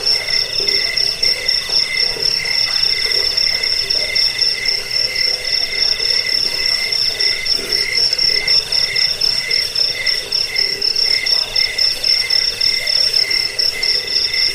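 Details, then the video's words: Rapid cricket chirps meant for scaring rats, bedtime listening and training cage birds: a dense run of quick high-pitched pulses atop a steady lower trill, constant and unvaried throughout. "Suara jangkik pengusir tikus pengantar tidur"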